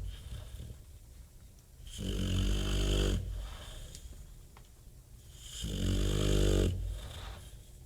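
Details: Bulldog named Bob snoring hard. Two long, throaty, vibrating inhaled snores about three and a half seconds apart, separated by softer low breathing.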